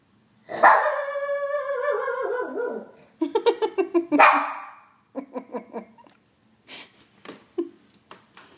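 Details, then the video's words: Shih Tzu howling: one long, loud, harmonic-rich wail that slides slowly downward for over two seconds. It is followed by a quick run of short yips and a few quieter broken whimpers. "Shih Tzu: howling"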